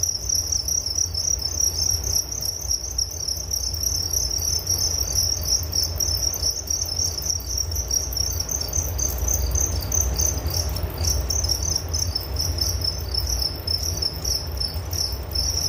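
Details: Nature sound of crickets meant to lull a listener to sleep: unbroken high, shimmering chirps pulsing quickly throughout, a brief lull near the end, over low background rumble.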